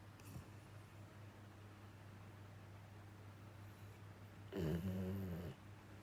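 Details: Sound asleep indoors, a rescued male Labrador–Schnauzer mix dog breathes softly, then lets out a single rough, buzzing snore near the end, lasting about a second.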